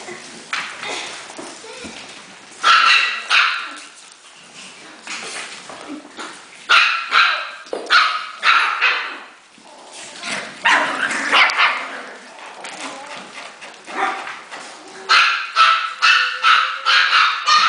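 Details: Excited Havanese puppies at play produce clusters of quick, high-pitched yips and barks, dense runs separated by quieter stretches, with human voices faintly in the background.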